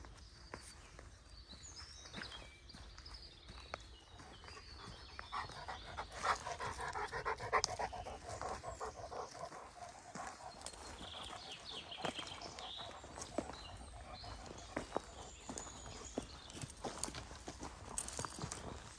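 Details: Greater Swiss Mountain Dog panting on a morning walk through a forest on 17 January 2016: soft, breathy, rapid pants, roughly three to four per second, over rustling footsteps and faint high birdsong in the background.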